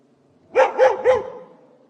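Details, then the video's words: Three loud, evenly spaced barks in under a second from an angry dog behind a fence, each bark sharp and rising then dropping. "Dog Barking"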